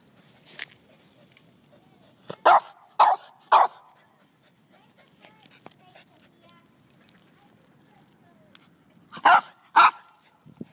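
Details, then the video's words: Scruffy, a pet dog reacting to ants in a lawn, gives short sharp barks in two bursts of three and two, separated by a quiet gap, with a person's voice briefly heard. "Scruffy Vs Ants"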